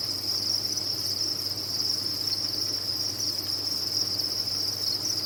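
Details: A cricket farm's crowd of captive crickets produces a continuous shrill trilling wall of sound, even in loudness from start to finish, over a soft low hum.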